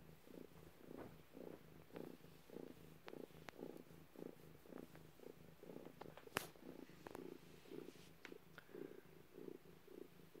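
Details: Purring from a cat during birth: regular low throbbing pulses repeated roughly every half second throughout, broken by scattered sharp clicks and one loud tap midway.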